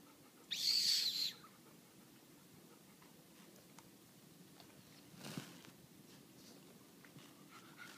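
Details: Sadie, a talkative seven-year-old white Labrador Retriever, complains and begs for attention while trying to get an eight-year-old black pug to play. She gives one high, thin squeal under a second long, followed by quiet indoor noise and a soft thump.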